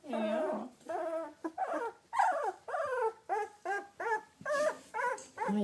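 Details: Two-week-old British Labrador Retriever puppies from a litter of seven yellow pups, four females and three males, whelped May 30, 2013, give rapid, high, wavering whimpers and squeaky cries one after another, with no pause between calls.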